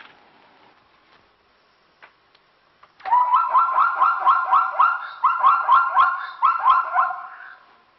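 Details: A wild Burchell's zebra herd drinks from temporary water on Kruger's S130 road. After a quiet start, one animal gives a long run of loud, harmonic, braying yelps for about four seconds, steady and rhythmic, before it tails off.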